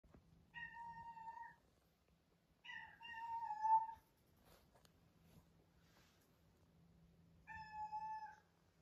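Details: Tuxedo cat meowing loudly in the middle of the night indoors: three drawn-out, tonal meows, each about a second long. The first two come close together and the third follows after a long pause. A faint steady low hum sounds in the quiet room.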